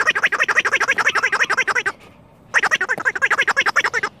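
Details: Rescue red fox Finnegan with a new toy, giving rapid stuttering chatter of around seven harsh pulses a second in two bursts with a short silent gap between them.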